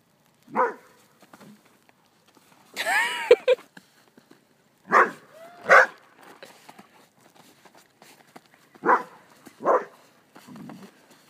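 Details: Poodle trying out new boots in the snow, giving short sharp barks in spaced pairs, with one drawn-out harmonic yelp early on and quiet gaps between the bursts.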